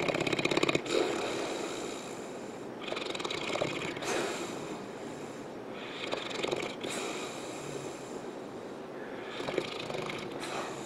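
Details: Misha, a St. Bernard, asleep on the couch indoors, snoring away: rough, noisy breaths in a steady rhythm, broadband and fairly even in loudness, with a few louder rasping bursts near the start.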